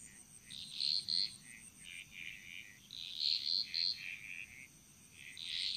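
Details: Frogs singing in a chorus in the Bali jungle, Indonesia: overlapping high, bright notes in short bursts, several voices layered, rising and fading in waves, with a steady faint high whine running throughout.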